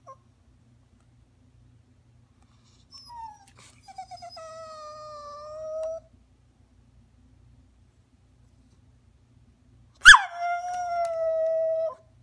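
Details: Little rat terrier whining to ask to be allowed to jump onto the sofa: two drawn-out, high, steady nasal whines, the first slowly falling and fading, the second starting with a sharp yelp before levelling off, with a quiet pause between.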